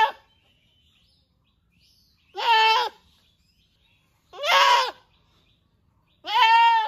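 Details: Goats in the riverside village of Rosulpur calling baa baa, three loud, clear, quavering bleats spaced roughly two seconds apart, with near silence between them.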